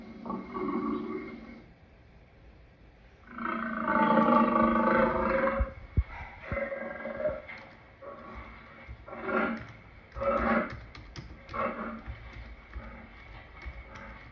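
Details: Lion delivering two strong, sustained roars, then a run of softer, shorter grunts that fade and become irregular toward the end.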